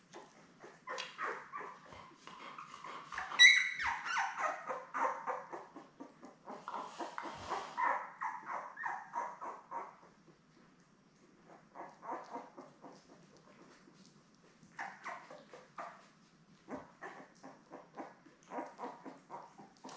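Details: Labrador Retriever litter of seven newborns, born May 24, 2021, lying with mother Belle on a live puppy cam, 3 June: wavering, nasal whimpers and squeals in clustered runs, a sharper yelp near the start, then softer intermittent whining.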